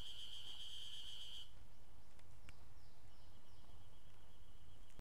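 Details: Ezo spring cicada at Maruseppu, Hokkaido, Japan, June 2012: a loud, harsh, high buzz for about a second and a half breaks off. Faint clicks and a weak distant drone follow over a low rumble.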